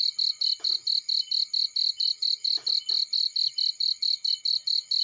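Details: Insistent cricket chirps in a field, shrill and evenly spaced near four per second, joined by several snapping crackles from a nearby fire.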